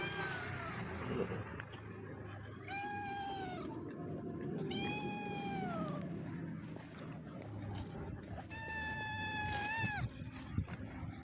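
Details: Hungry stray street cat meowing repeatedly: four drawn-out meows, some rising then falling, spaced a few seconds apart over low rumbling outdoor background noise.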